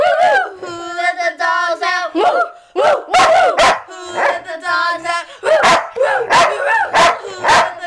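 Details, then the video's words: Sheepdog singing along to "Who Let the Dogs Out" at 2 in the morning, very loud: long wavering tonal howls that rise and dip, broken by sharp barking bursts, with the howls returning between barks. "Sheepdog sings to "who let the dogs out""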